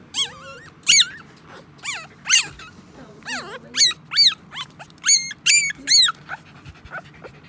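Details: Newborn Samoyed puppies just after their mother gave birth: thin, high squeaking whines that rise then fall, in quick uneven bursts about twice a second, some overlapping, with faint human voices underneath.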